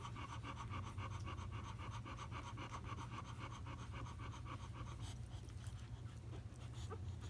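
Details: Five-day-old fawn female Euro/American boxer puppy with a dark face, settling to snooze just after nursing indoors; rapid, steady soft panting breaths throughout, with low room hum beneath.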